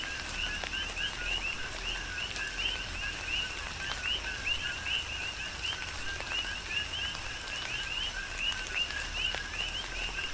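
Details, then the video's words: Coqui frogs calling in a tropical rain shower on the Big Island of Hawaii: a dense rhythmic chorus of short, high, rising two-part chirps overlapping continuously, with raindrops pattering throughout. "Tropical Rain & Coqui"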